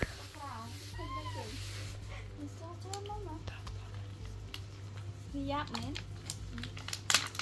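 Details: Baby monkey Alex, raised in a countryside home, hurrying to find food for its mother; several high, wavering squeals rise and fall in the first second and a half, with more around five to six seconds over a steady low hum and clicks.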